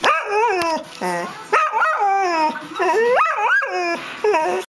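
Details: A Vizsla dog gives a run of high, wavering whines and yelps, each lasting half a second to a second. Its pitch swoops up and down through five or six cries in under five seconds, with a quiet background.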